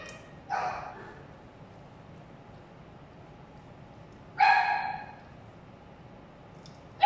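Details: Adoptable dog showing no food aggression around its meal gives two loud, single sharp barks about four seconds apart, with the start of a third at the end, in an otherwise quiet room.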